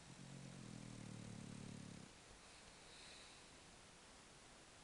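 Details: Mir, a French Bulldog, sleeping and snoring a bit: one low, rumbling snore lasting about two seconds, then quiet breathing under a steady background hiss.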